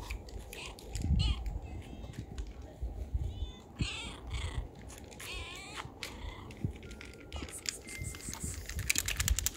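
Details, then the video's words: Homeless street cats crowd around people and meow loudly, demanding to be petted. Several drawn-out, arching meows come in quick succession, over rustling, clicks and handling noise. "Stray Cats Gather Around Us and Meow Loudly for Us to Pet Them"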